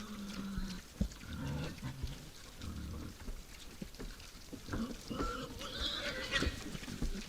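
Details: At a forest feeding spot at night, wild boars make short low grunts and brief squeals, with sharp clicks and crunching from feeding and movement.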